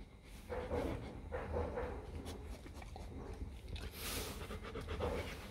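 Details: Four-day-old Rottweiler puppies from the litter of Vietnamese champion Loki Gervi and Faye give short, soft, mid-pitched squeaks and grunts in scattered bursts over a steady low background rumble.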